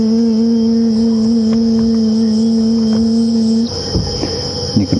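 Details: Cicadas call at night at Djuma Game Reserve, Sabi Sand, South Africa, on an October 15, 2015 evening drive, with two distinct insects calling: a steady, high, ringing drone over a deeper continuous hum that cuts off, then faint rustles.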